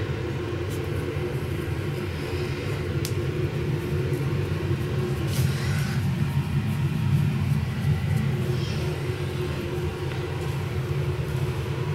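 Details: Loud continuous low rumble like a running engine or vehicle fills the recording, with a few faint clicks and no animal calls.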